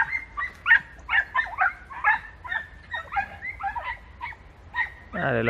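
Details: Podencos hunting in bramble thickets in Campo Arañuelo, Spain: a pack gives rapid, high, yelping barks with rising and falling notes, about two per second and irregular, overlapping at times, ending in a louder drawn-out whine.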